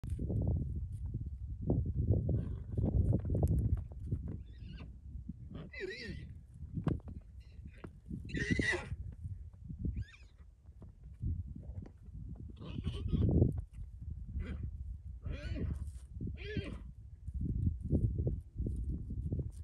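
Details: Wild horses battling in the Valley of Dreams Wilderness, New Mexico: heavy low rumbling and hoof thuds with scattered harsh, noisy squeal-like bursts, loudest around the middle and near the end, over constant outdoor wind noise.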